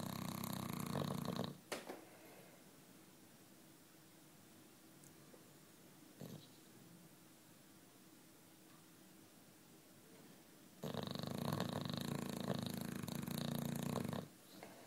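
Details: Sleeping British Bulldog Juanito, aged nine, gives a brief snore, then about nine seconds of near silence before another loud, rough, buzzing snore lasting roughly three seconds.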